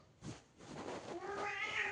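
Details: House cat at a closed door, a brief muffled noise at first, then a loudening meow that builds and holds steady over the last second, with some indoor background rustle.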